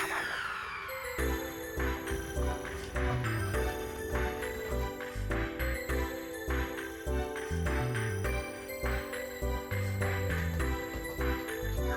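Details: Gentle background music with chiming tones and soft beats plays throughout, with no cat meows.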